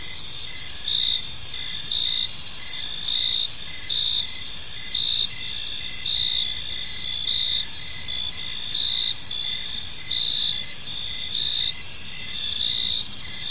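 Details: Crickets chirping in a park on an evening: a dense, steady high-pitched trill with pulsing bursts roughly once a second over a faint low background hum.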